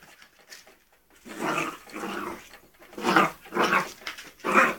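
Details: Playing with ferrets indoors, a 3-month-old springer spaniel puppy lets out a run of five throaty growls, each about half a second long, coming in quick succession after a brief quiet start.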